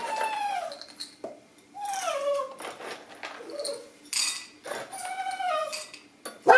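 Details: Dachshunds waiting for a breakfast of canned food, kibble and farro, whining for it: drawn-out, sliding nasal whines that fall and rise, separated by short pauses, with clinking dishes and soft household noise.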